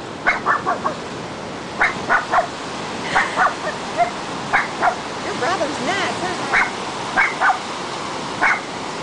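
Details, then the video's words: Cairn Terrier barking at breaking ocean waves: repeated short yapping barks in clusters throughout, mixed with a person's excited, encouraging voice over constant surf noise. "Cairn Terrier meets ocean"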